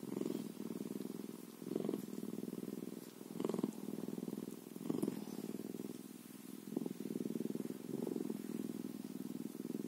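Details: Bobcat purring: a steady, low rumbling purr that pulses continuously in rhythmic inhale and exhale cycles about every one to one and a half seconds, with faint clicks and handling noise.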